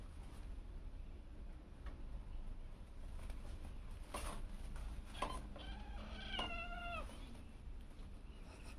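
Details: Cats and kittens at home in their daily activities: a pair of short, tonal meows with a slight rise then fall arrive just past the midpoint, preceded by a faint click, all over a steady low rumble.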